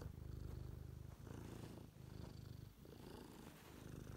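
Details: Domestic cat purring indoors: a steady low rumbling purr with fast even pulses, broken by short pauses near one, two and two-and-a-half seconds, with a faint hiss of room noise above.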